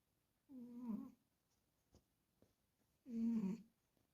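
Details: A sleeping pet cat snoring indoors: two low, rough breaths about two and a half seconds apart, each half a second long with a wavering, harmonic rasp, quiet between them with faint small clicks.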